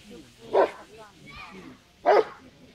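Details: During a bite-sleeve attack in a utility and defence trial at a national dog show, a Rottweiler gives two deep, forceful barks about a second and a half apart.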